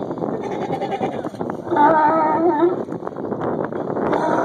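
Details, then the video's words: Angry sea lions in a group, one annoying the others: a loud, harmonic, bleating cry lasting about a second rises over a constant background murmur of overlapping calls from other sea lions. "angry sea lions"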